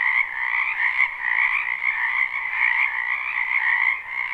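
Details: Many frogs calling together in a spring wetland, a live unlooped recording: thick, unbroken trilling croaks layered in two bright bands, swelling and dipping slightly, with one brief click near the start.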